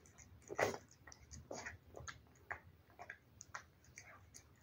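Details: Wet food being eaten by a cat: a loud opening crunch followed by a handful of spaced, moist clicking chews and soft smacks over a faint low hum.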